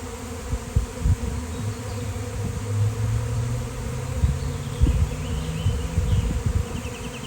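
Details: Swarming honeybees, thousands flying past a gate and clustering on a fallen basketball hoop; a low droning hum with repeated louder buzzy pulses as individual bees zip close by.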